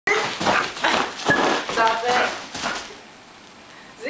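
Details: Two dogs, a Boston terrier and a chow mix, play and chase each other indoors, giving rapid, rough barks and yelps packed into the first three seconds, then quiet room tone, with a person's voice nearby.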